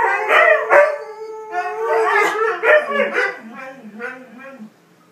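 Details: Siberian huskies give wavering, yodelling howls that slide up and down in pitch, a mating chant from one overwhelmed male with three females in heat.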